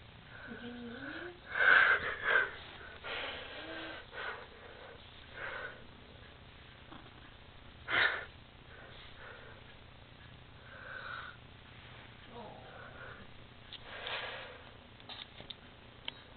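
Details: Overweight tabby cat making weird noises indoors: wheezy, breathy snorts and sniffs in irregular bursts, louder around the second and eighth seconds, with brief low whining slides in between and a faint steady hum behind.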